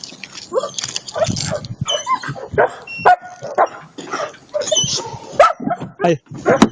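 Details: German Shepherd giving a rapid run of short, high yips and squealing whines in uneven bursts, with people talking in Bulgarian close by throughout.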